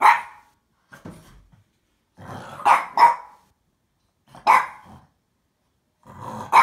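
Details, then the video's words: Playful French Bulldog barking and growling while attacking a box indoors; rough, snorty barks come in uneven clusters, some doubled, separated by brief quiet gaps. "Cute Frenchie Dog Apple barking & wants to fight the box"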